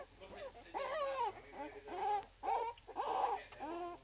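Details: Irish Red and White Setter puppies, twelve days old, cry in drawn-out, wavering squeals with quieter yelps between them, about four louder cries over a few seconds.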